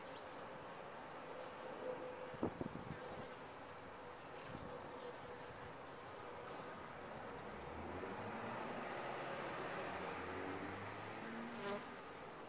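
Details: Honey bees inside a top-bar hive make a dense, steady colony hum with a faint droning tone running through it, broken by a few sharp taps near the two-and-a-half-second mark and a swelling buzz toward the end.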